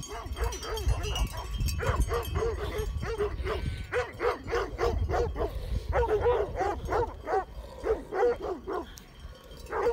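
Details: Great Pyrenees sheep dogs guarding sheep near Heber, Utah, confronting mountain bikers; several dogs bark in rapid, overlapping volleys, deep and resonant, with harmonics stacked above a strong fundamental, continuous through the whole stretch, low rumble beneath.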